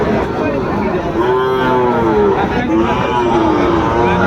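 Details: Young Sahiwal bulls and calves at the Aftabganj market in Dinajpur district, Bangladesh, 2 September 2025. Two drawn-out moos, slightly falling in pitch, rise from the middle of the clip over busy market chatter and other cattle calling.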